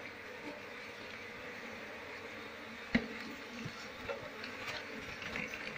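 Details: A wild Apis cerana colony, Asian honey bees, buzzing as their queen is sought for moving them into a beekeeping box; a soft, unbroken hum with one sharp click midway.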